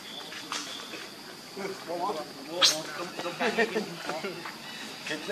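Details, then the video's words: Lucie, a baby monkey, cries while begging her mother for milk and is refused. Arched, wailing calls come in quick runs, with one sudden shrill squeal near the middle and a constant high background hiss. "Lucie Beg Mom's Milk But Mom Reject Hardly I Lovely Baby Monkey"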